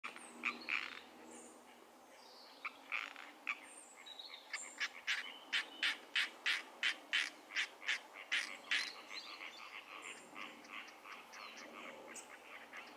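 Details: A European tree frog calls in Zonhoven, giving a fast run of harsh, rasping knocks, about three each second.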